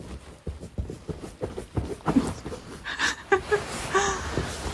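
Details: Grumpy Siberian Husky throwing a temper tantrum in its beanbag bed. Soft thumps and rustling give way to short, moaning, whiny grumbles in the second half, a few rising tones in quick bursts, with a person's voice nearby.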